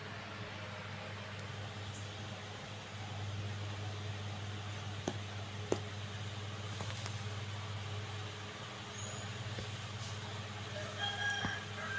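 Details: Quiet indoor hum with a low steady drone, a few faint clicks and distant traffic murmur, with no animal voice heard.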